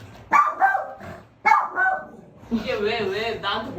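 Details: Pet dog barking to get attention from its owner's friend; two quick double barks open, followed by a woman talking over the rest.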